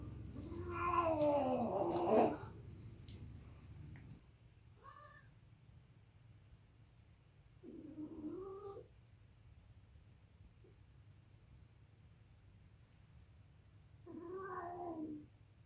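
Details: Mating cats give a loud, wavering, harmonic-rich caterwaul at the start, then three shorter moaning yowls spaced several seconds apart, over a continuous high cricket-like trill.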